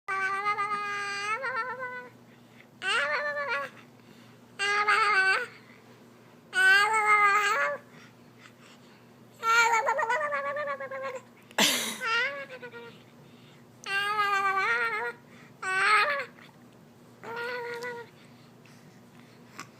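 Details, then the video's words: A pet cat named Clark sits still while his chin is wiggled, bending his voice into funny wobbling sounds: a series of drawn-out harmonic meows, about eight bursts, some with warbling, tremolo pitch, indoors in a small room. "Funny Sounds with Baby Clark"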